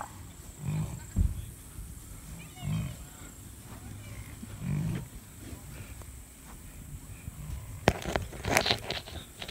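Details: American bison bellowing: deep, rumbling low roars repeated roughly every two seconds, three in a row, with wind noise, faint human voices and clicking handling sounds at the end.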